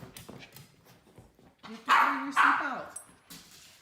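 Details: Harness-hating miniature poodle Teddy, with a second dog, Wolfie, in the house; quiet rustling and low murmuring voices, then two loud, slightly whiny barks close together near the middle.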